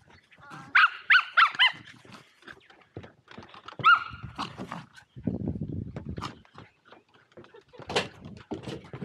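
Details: Two Welsh Terriers, Zorro and Zula, playing at Torgo Talu Guesthouse & Farm in Estonia, filmed on an Insta360 Go2: bursts of high, harmonic yelping yips in quick clusters, with thumps and scuffling between them.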